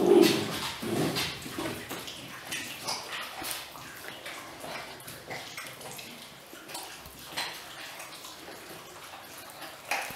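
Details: Six-week-old Weimaraner puppies, getting chicken wings for the first time, make brief, high whimpers and yips, strongest at the start, amid scattered household clattering and rustling.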